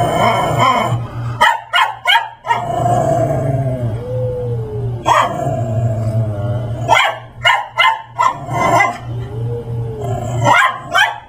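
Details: Max, a Brussels Griffon wearing a raptor dinosaur Halloween costume, harasses Layla the Persian cat at home. Sharp barks come in clusters between stretches of lower growly vocalizing, with a steady low hum underneath.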